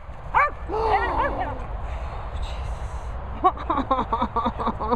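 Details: Cocker Spaniel Darling with dogs Bella Boo and Bernie: a rising then falling whine and drawn-out yelp, a pause, then a quick run of short, high barks, with a man's voice nearby.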